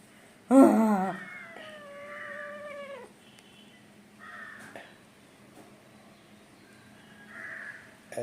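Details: Kunjan, an angry, naughty pet kitten, gives a sudden harsh yowl followed by a long, steady, slightly falling meow that fades out, with soft voices and a faint background hum after.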